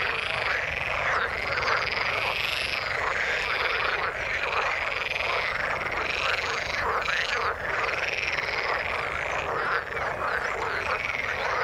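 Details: Several frogs in the water call together, steady overlapping trilled croaks in a thick unbroken chorus, some calls rising briefly above the rest.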